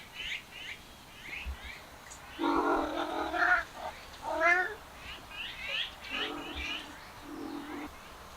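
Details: Male cats following a female cat give a drawn-out, harsh wailing yowl lasting about a second, then shorter moaning cries, while small birds chirp repeatedly in the background.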